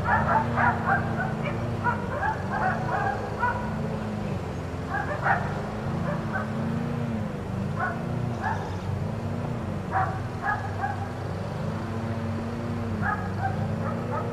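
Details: Four dogs left in a neighbor's yard all day bark in uneven volleys of quick, sharp yaps with pauses between, faint behind a wavering low drone like running machinery.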